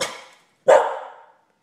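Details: Two loud barks from Molly the pet dog, unusually chatty without cause: the first fading out, then after a short gap a stronger, rougher bark trailing off slowly; no other sounds.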